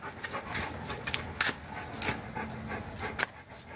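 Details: Panting from a Boerboel (African Mastiff) living in Egypt: rapid, airy, rhythmic huffs repeated steadily, recorded indoors with faint background noise and occasional human voice.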